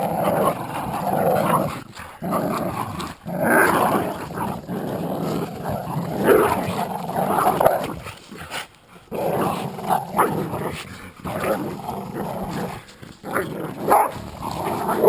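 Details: Terriers, a Jack Russell and an American Staffordshire pit bull, growl during a tug-of-war game; continuous rough growling broken by short pauses over fifteen seconds, with scuffling noise.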